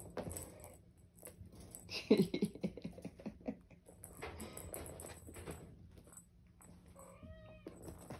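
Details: Ragdoll and Ragamuffin kittens at play indoors, 10/4/22: a brief harmonic meow near the end, preceded by soft thumps, patter and rustling as the kittens tumble about a small room.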